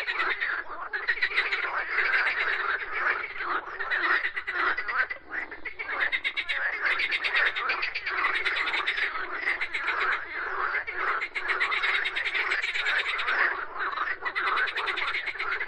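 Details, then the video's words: Many frogs croaking together in a dense, continuous chorus of rapid, rattling pulsed croaks that overlap without pause, with a steady raspy texture throughout. "Frogs Croaking Sounds"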